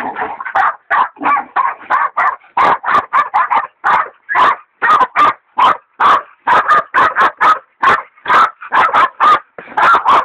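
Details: Hog dogs Dixie and Dollie bay a big sow hog; Dollie, a leopard dog, is still in training. Loud, hoarse barks come in quick, uneven bursts, about two dozen in ten seconds, some doubled, with the dogs overlapping.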